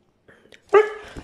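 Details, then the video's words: Brown Siberian Husky, a male wanting to go outside again, complaining with a short harmonic whining yelp that starts loud and trails off, after a few soft muffled sounds; Korean speech around it. "Brown Siberian Husky complaining because he wants to go outside again"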